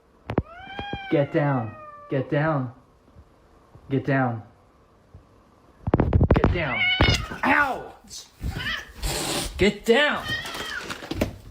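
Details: House cat in a funny cat compilation giving several clear, sliding meows in quick succession, each one bending down in pitch, followed by louder mixed cries, human voices and indoor clatter.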